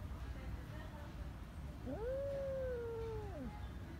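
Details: Neutered female cat angry at her kittens, which she keeps growling at and attacking: one drawn-out tonal yowl, rising, then held level and falling away over about one and a half seconds, with a woman's voice speaking Turkish around it.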